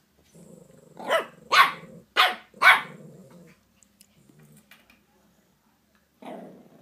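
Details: Five-year-old Shih Tzu getting used to a three-month-old Shih Tzu puppy, giving a low growl that breaks into four sharp barks about half a second apart, then quiet, then another short growl.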